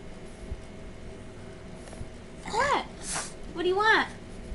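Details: Boston Terrier Mackie begging to lick the macaroni and cheese bowl, vocalizing in two arched, yowl-like calls that rise and fall, separated by a brief snort, indoors with faint room noise.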